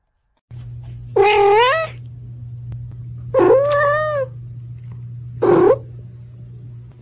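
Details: Domestic cat meowing at its owners, recorded up close: three harmonic meows, the first two drawn out and wavering, the last short and clipped, spaced about two seconds apart over a steady low hum.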